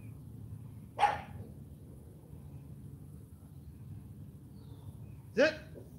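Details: Female AKC champion Cane Corso puppy Charme at morning training, giving two sharp, brief barks about four seconds apart between spoken sit and turn commands.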